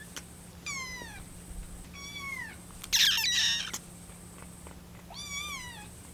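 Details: Rescued kitten Lucy, 25 days after rescue, calls impatiently for milk that is still cooling, her voice wavering like a small bird's. Four high, falling meows at irregular spacing, with a brief rustling burst in the middle.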